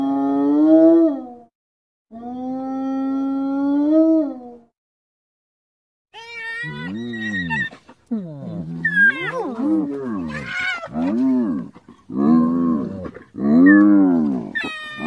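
A hyena gives long, steady moaning tones, then a run of arching, rising-and-falling harmonic calls.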